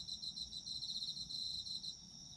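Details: Brief stretch of autumn insects, a bright continuous high trill made of quick even pulses from a couple of callers, fading slightly at the end over a quiet low background.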